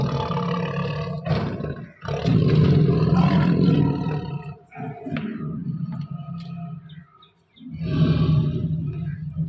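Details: Lion at feeding time among big cats being fed; deep, rumbling roar-like growls come in long, loud, low-pitched harmonic bursts, broken by short pauses near the second and seventh seconds.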